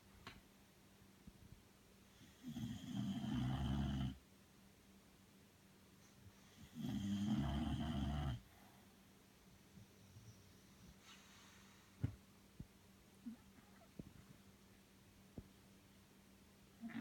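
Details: Belle, a Bulldog asleep, snores twice in deep gravelly breaths about three seconds apart, then breathes quietly with a few soft clicks and ticks over a low hum.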